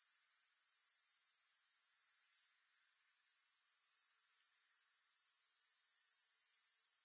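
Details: Shrill insect trill from grasshoppers, pulsed evenly at about four beats per second; the sound drops away for under a second midway and then gradually returns to full strength.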